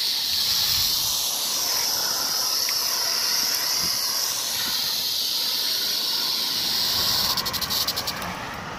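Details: Rattlesnake buzzing its rattle on 1 July 2018: an even, shrill, hiss-like drone holds for about seven seconds, then breaks into a quick run of distinct pulsing clicks near the end.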